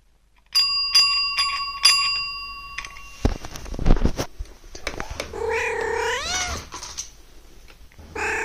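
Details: Domestic cat calling when the morning bell rings: several bright, ringing bell strikes first, then rustling, followed by a long wavering meow that rises and falls with strong harmonics, and a short second call at the end.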